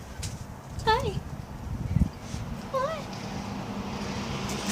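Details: Pet cat Lily meowing to demand being let outside: two short arched, harmonic meows about two seconds apart, over low background rumble and a faint click.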